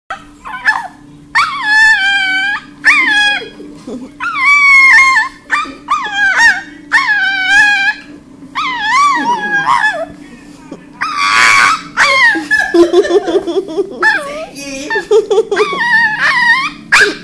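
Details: Small male Yorkshire Terrier crying and screaming because he wants his owner to play ball; high, wavering whines and yelps with rising and falling pitch, repeated in bursts of about a second, with brief noisy squeals between.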